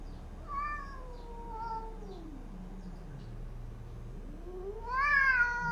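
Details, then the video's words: Domestic cats fighting after a cat is brought into a new house: long drawn-out yowls that sink into a low growl, then swing up into a loud wavering wail. "PERTARUNGAN EPIC‼️RUMAH BARU COMOT DMASUKIN PUTIH AUTO PERANG"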